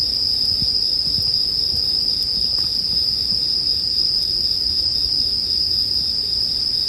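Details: Many bell crickets trill together in a constant piercing high note, while faint scattered crackles and a low hum from a bonfire sit beneath, arranged as sleep background sound.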